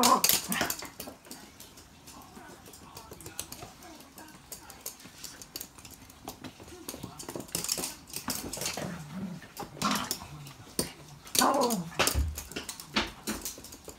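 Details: Playtime for two Toy Poodles with their own stuffed toys: brief nasal whimpers and grumbles surface among frequent sharp taps, rustling and clatter, with a loud burst at the very start.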